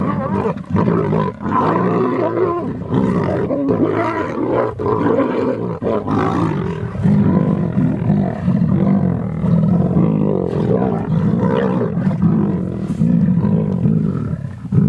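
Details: A large lion pride, lionesses with three males, feeding voraciously on a young rhino bull they brought down, growls and snarls continuously in deep, rumbling bursts as they squabble over the kill.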